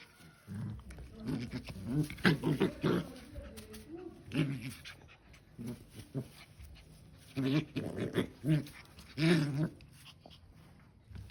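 A Rottweiler gives low, rumbling play growls and grunts in short bursts.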